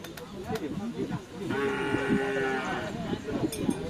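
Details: A long, even moo of cattle fills about a second at the Asemanis field in Pamekasan, where bulls are trained for karapan sapi racing. A babble of people talking and scattered knocks surround it.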